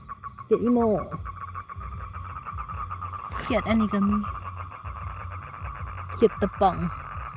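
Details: Male toad calling to attract females for mating: a steady, fast-pulsed mid-pitched trill runs unbroken through the recording, while a man speaks in short bursts over it at three points.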